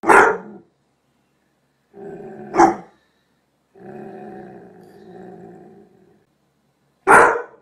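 A Doberman Pinscher gives sharp, deep barks separated by low, rumbling growls.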